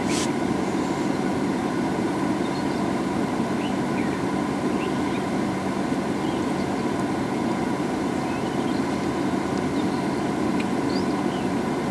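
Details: A steady engine rumble, like an idling vehicle, fills the whole recording, with no clear animal calls above it.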